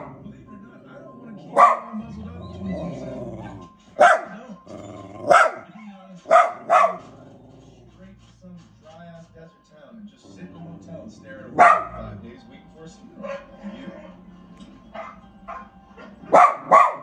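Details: A dog barks at the TV in bursts of single and paired sharp barks scattered through the recording, with television voices and other sounds running steadily in the background.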